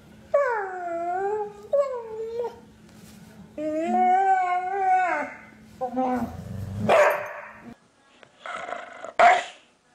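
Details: A pet dog 'talking' with drawn-out, moaning howls: wavering tones that rise and fall in several phrases of one to two seconds, over a steady low hum, followed by shorter, rougher bursts near the end.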